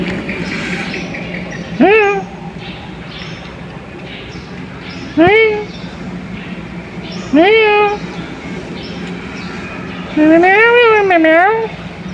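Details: A cat said to be sick gives four loud meows, each rising then falling, the last one longer and wavering, over steady background hum and faint voices.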